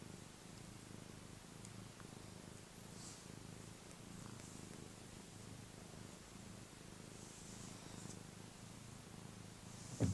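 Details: Happy domestic cat purring, a steady low continuous rumble that pulses gently with each breath, faint and close, with soft rustling and a brief knock at the very end.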